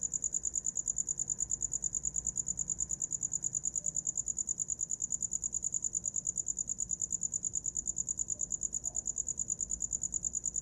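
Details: Cricket sound offered as a sleep aid: a steady, high-pitched, rapidly pulsing chirp that never pauses, with even beats at about eight per second over a faint low background hum.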